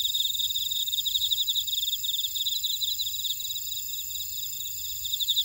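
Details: Many grass insects in a Jeju buckwheat field, Ora-dong, South Korea, chirping in rapid even pulses that fade slightly midway then return, with steady piercing trills overhead.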